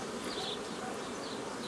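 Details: Honey bees humming steadily while nucleus colonies are formed the old way, following book methods, on 15 May 2018; the colonies come from an earlier forager swarm. The even, dense buzz fills the clip.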